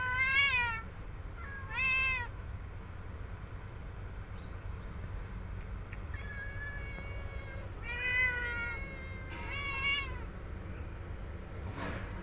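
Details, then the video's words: Baby cats calling while being given food, giving a string of short, quavering, high-pitched meows spaced a few seconds apart, some overlapping, over a constant low hum and a brief rustle at the end. "All my very cute baby Cat's having food"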